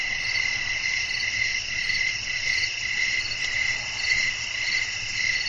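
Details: Evening crickets chirping while wind blows, a calm sleep soundscape: steady high-pitched trills from many insects, rhythmically swelling and fading about twice a second, with a quiet low background rumble.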